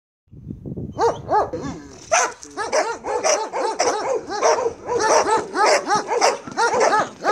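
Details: Marley, a Belgian Malinois, during bite work training: rapid, excited barks with some whining, about two per second, loud and continuous after a brief quiet start.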